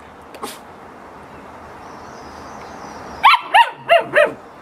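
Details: Dog during playtime giving a quick burst of four sharp, high barks in about a second, evenly spaced, after a stretch of quiet background hum.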